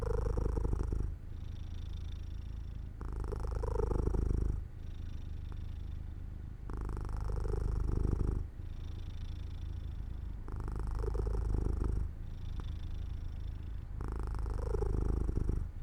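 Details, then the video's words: Sleepy house cat near a sunlit open window, purring continuously: low pulsing rumble alternating between louder and softer phases roughly every one and a half seconds, probably following its breathing in and out. "Jojo falls asleep near an open window in the sunlight - My Cat Makes Sounds 3"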